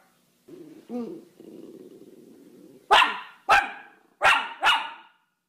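A Miniature Schnauzer gives four sharp, high barks in quick succession after a low rumbling start.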